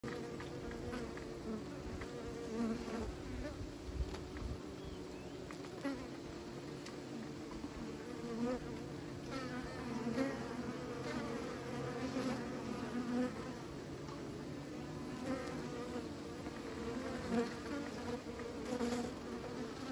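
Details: Steady hum of many bees kept by beekeepers, a dense low drone with layered buzzing tones, brief louder passes of individual insects rising above the constant swarm noise.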